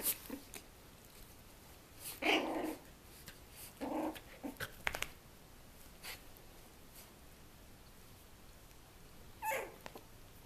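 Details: Twenty-day-old puppies romp with their mother, giving short rough growling bursts near two and four seconds amid scattered clicks and thumps of play, then a brief rising whine near the end.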